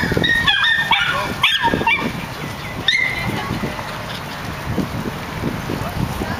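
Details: In a park, nine-month-old miniature schnauzers let out a few high yapping barks in the first three seconds, one more near the third second, then only a low murmur of background noise remains.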